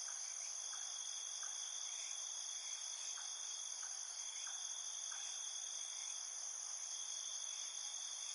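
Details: Nighttime insects in a dense chorus: steady high shrill trilling bands layered together, with soft short chirps repeating every half second or so underneath, no music.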